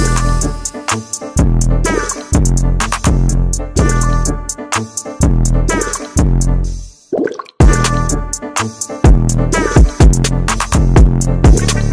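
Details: Hip hop music with a drum machine beat and dripping water effects, with a brief break in the middle.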